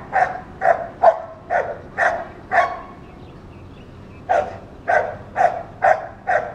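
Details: A dog barks all day whenever children or other dogs pass by: two runs of loud, sharp barks about twice a second, separated by a short pause, with faint street noise behind.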